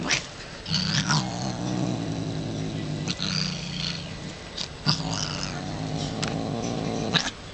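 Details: Female pet cat in a moody, aggressive mood after an attempt to pet her, growling deep and continuous, rising into harsh, hissing caterwaul bursts, with handling noises between.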